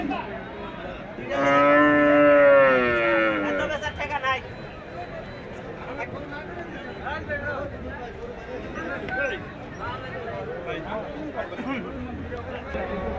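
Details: Cattle at a busy livestock market in Saturia, Manikganj, Bangladesh: one loud, drawn-out moo lasting about three seconds, then a steady background of crowd chatter and voices.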